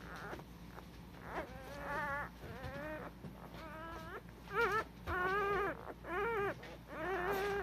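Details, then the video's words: Cardigan Welsh Corgi puppies from Nabe's litter, filmed 21 February 2020, giving wavering, harmonic-rich squeals in short bursts that crowd closer together and grow louder toward the end, with several pups overlapping. "コーギー・カーディガン ナーベの仔達"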